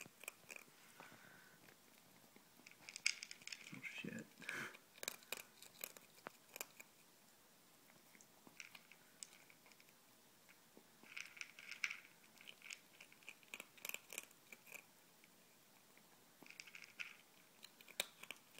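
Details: Hungry pet ferret Izzy eats ZuPreem kibble, FerretVite and chicken jerky in a small room. Bursts of crackly crunching and biting alternate with quieter stretches, while a person speaks briefly over the eating.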